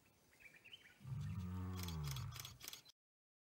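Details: Deep, drawn-out groaning roar from a wild South African lion, strong low harmonics swelling for nearly two seconds then tapering, with a series of quick sharp clicks over the end and faint background hiss.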